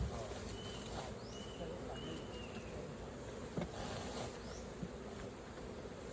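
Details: Honey bees at an opened hive during raw honey collecting; a steady low droning buzz fills the lower range throughout, with a few faint high chirps and soft clicks over it.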